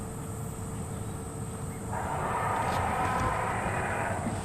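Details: A cross African elephant at sunset on safari lets out a coarse, sustained bellowing cry, typically a youngster protesting after a scolding or going into a sulk, near a herd with a female; a vehicle engine drones throughout.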